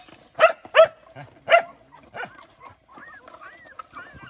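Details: Mother dog defending food for her puppies: three loud, hoarse barks in quick succession, a softer fourth, then faint rising whines trailing off.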